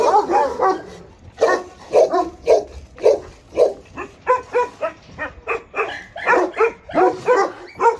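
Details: Alabai and Tibetan Mastiff guard dogs at Pogoanele, Buzău county, Romania, barking in separate sharp volleys, about two barks a second, with short quiet gaps between each.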